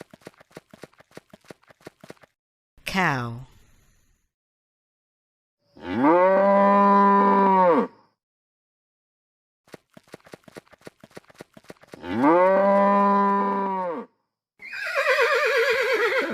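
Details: Farm cow giving two long, level, drawn-out moos several seconds apart, each about two seconds; a brief falling squeal comes before them, another animal cry at the end, and steady ticking clicks in between.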